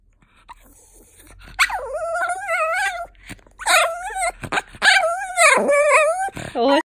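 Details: Pomeranian dog "talking": a run of wavering, yodel-like whines and yowls in several bursts, rising and falling in pitch, with short breaks and a person speaking softly at the start.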